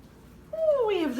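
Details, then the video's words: Pet cat vocalizing indoors with a single drawn-out call that starts level then slides downward in pitch, becoming louder and harsher toward the end, with a person talking softly around it and a dryer running. "Teddy Tuesday Complete with Honks!"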